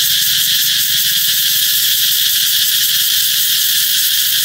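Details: Cicadas heralding the coming summer with a loud shrill buzz that carries a slight rapid pulsing texture, steady and unbroken from start to finish.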